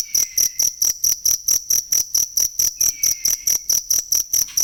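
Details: Cricket chirping, recorded to train songbirds: steady, rapid, high metallic chirps, about four per second, in an even pulse, with a faint descending whistle sliding down twice in the background.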